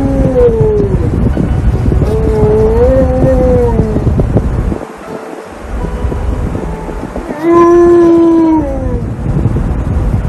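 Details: Alaskan Malamute loudly protesting at wearing a seatbelt in a car: drawn-out wavering howls and whining vocalizations that rise and fall, pausing briefly near the middle, then a stronger sustained howl before tailing off, with steady engine-like background rumble.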